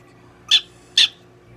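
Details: Pet prairie dog Donguri-chan being treated at a Nagoya veterinary clinic utters two sharp, high, scratchy chirps about half a second apart against a quiet indoor background.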